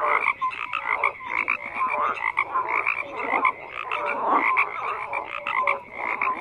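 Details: Dense chorus of frogs croaking, layered raspy pulses and clipped whistle-like notes overlapping steadily, with the chorus ebbing and surging every second or so.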